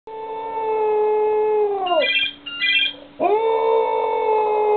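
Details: Cocker Spaniel 'singing' indoors: long steady tonal howls that bend sharply downward at the ends, with brief bright electronic beeping tones in the pause between.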